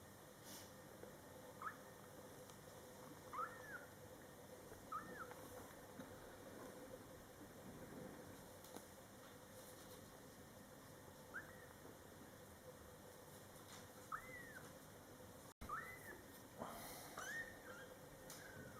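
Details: Scottish Fold kittens born July 22, 2012, in their first month with mother cat Coco, giving thin, high arched meows in scattered bursts, some paired, over a quiet indoor hum.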